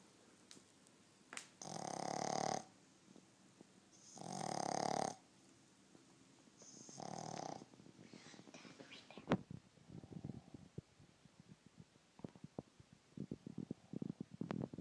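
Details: A 10-week-old Boston Terrier puppy snores like a human in loud, rasping bursts about every two and a half seconds.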